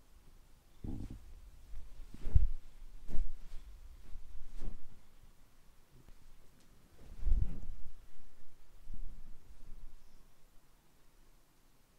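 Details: Low, muffled thumps and bumps in a quiet room, like bodies landing on a bed, with no calls or meows.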